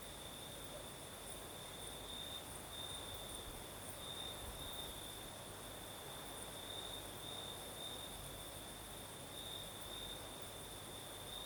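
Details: Night chorus of crickets in southern Crimea, with a night breeze: an unbroken shrill trill with short louder stretches and a faint higher overtone, set against a constant soft hiss of breeze.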